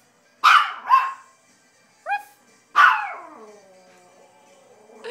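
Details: Small toy Maltese trading barks with a person: a quick pair of harsh yapping barks, one human imitation bark, then another loud dog bark with a trailing echo in a quiet room.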